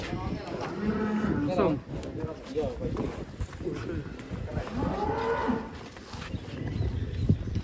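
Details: Lowing of a cow that a child rides: two short, low moos stand out against steady rumbling background noise, with the rest of the stretch mostly murmur and handling sounds.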